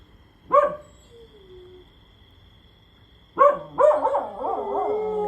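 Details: Pet dog howling lazily while lying down, joining a friend that will not stop howling; sharp yelp-like onsets, then a wobbling, harmonic howl rising in the final two seconds over a faint constant hum.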